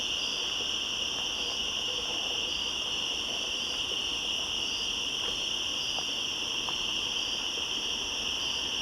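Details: Cicadas calling back and forth in woods at the top of the switchbacks on 1 September 2014: a steady, unbroken high buzzing drone with two shrill bands, one bright and one higher, holding evenly throughout with no pauses.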